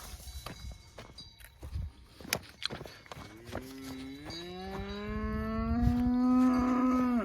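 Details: Angus cattle on natural pasture, herded by a person urging them on in Turkish; sharp clicks and knocks first, then a long low moo that rises and holds steady for about four seconds, swelling louder toward the end.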